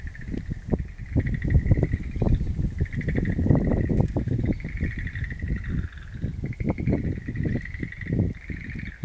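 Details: Chorus of frogs resounding through a garden of wild mountain plants, April 11, 2013. Rapid pulsed trills overlap almost without pause at a constant pitch, while loud low thumps and rumbles, like wind on the microphone, come and go.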